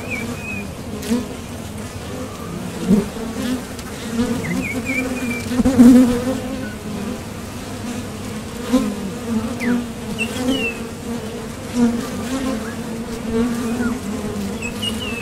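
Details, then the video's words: Steady low drone of honeybees coming and going at a Top Bar Hive entrance on nectar trips, the hum rising in brief louder surges as bees pass close, with scattered thin bird chirps behind. "Bees Sound Effects"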